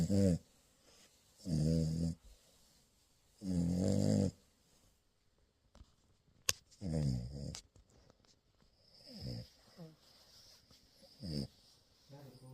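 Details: French Bulldog puppy asleep during morning cuddles, snoring indoors in rough, low, rattling breaths roughly every two seconds, later softer and shorter snorts with a sharp click in between.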